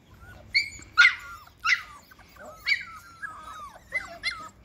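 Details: Six-week-old Labrador Retriever puppies, adventurous and exploring, give high, thin whines and short yelps. About seven bursts come in under five seconds, several sliding downward in pitch, with quiet gaps between them.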